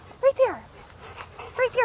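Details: Excited dogs hunting for a squirrel let out sharp high whimpers that slide downward, in two quick pairs separated by a pause, with human voices murmuring between them.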